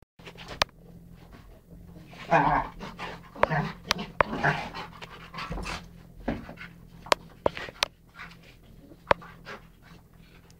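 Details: A Rhodesian ridgeback and a chocolate labrador, Beau and Ted, play a wild game indoors, recorded November 12th 2011; rough breathy panting bursts mix with sharp clicks and knocks of paws and toys in a small room.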